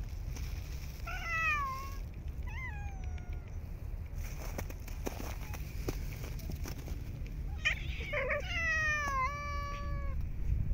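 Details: Urban street cats fed outdoors in cold snowy weather; scattered meows, a few short ones early, then a louder burst of overlapping, wavering and descending meows toward the end, amid low hum and faint clicks.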